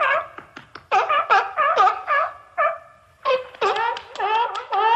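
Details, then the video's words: Seal calls in a quiet setting: a run of short, nasal, barking bleats with strong overtones, some drawn out into wavering moans, arriving in clustered bursts with brief silences between them. "Tunog ng SEAL | Sound of SEAL"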